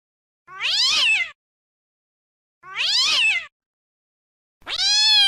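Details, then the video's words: Cats and kittens meowing: three loud, clean meows, the first two drawn-out wails that arch up then fall, the last a higher, rising cry held steady, separated by silence. "Sound of Cats and Meowing Kittens"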